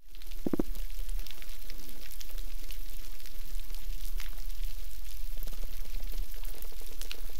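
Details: On a coral reef in the Gardens of the Queen, Cuba, snapping shrimp crackle steadily underwater, a dense fizz of sharp clicks, with a low fish thump early on from a swim bladder reverberating.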